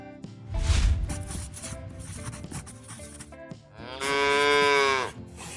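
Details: Calf mooing in one loud, drawn-out, strongly harmonic call lasting about a second, near the end of the clip, over steady background music.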